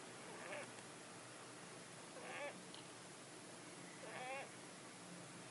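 A Syrian hamster snores softly, a faint squeaky wheeze repeating about every two seconds.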